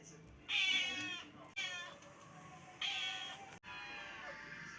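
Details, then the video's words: Black kitten calling in a string of loud, drawn-out, nasal meows, each lasting under a second and spaced about a second apart, over a faint steady background hiss. "Кот звуковые эффекты"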